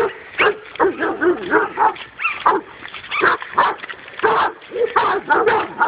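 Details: Dog's first encounter with a wild boar, giving a steady run of sharp, harmonic barks and yips, roughly two to three per second, with brief gaps between bursts.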